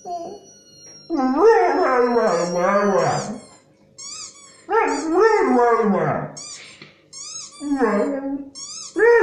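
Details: Pet dog at home 'talking' in response to squeaky toy sounds: three long, rising-and-falling yodelling howls separated by short pauses, with a faint high squeak heard between them.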